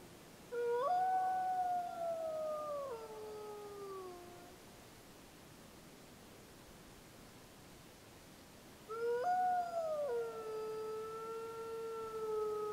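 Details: A gray wolf pup of the Snake River pack, Summit Ridge area, Wallowa County, Oregon, 25 July 2012, howls long, smooth rising then falling howls; pack members, unseen, return its howls.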